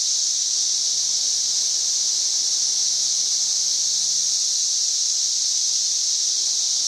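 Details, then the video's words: Cicada singing on May 31, 2024, loud enough to read over 90 decibels: a steady, unbroken, high hissing buzz that holds at one even pitch for the whole stretch without pause, with only a faint low hum beneath. "91+ dB Cicada Singing."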